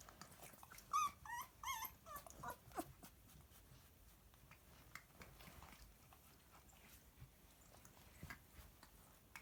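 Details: Galgo puppies at 14 days old give a burst of high, wavering whimpers and squeals, five or six yelps packed into two seconds early on, then fading into quiet shuffling and faint clicks indoors.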